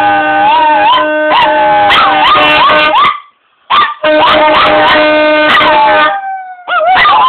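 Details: A dog duo howls with a saxophone, their wobbling, looping cries weaving through held sax notes in two long passages, split by a brief pause and ending on a rising howl.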